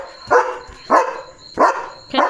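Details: German Shepherd dog in the dark at night, barking after noticing another dog. Four sharp, harsh barks come at uneven gaps of about half a second, with a faint high steady whine behind them.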